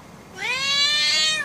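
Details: Angry house cat Oyster, a female who wants to go outside, lets out one long, steady, loud meow lasting about a second, rich in overtones.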